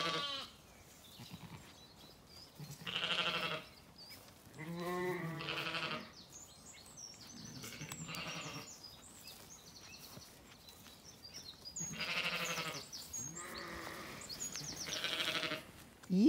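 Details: Ebony's Zwartbles lamb in an orchard in County Kilkenny, Ireland, screaming repeatedly for its unresponsive mother after the morning feed; about six drawn-out, quavering bleats spaced a few seconds apart, with faint bird chirps behind.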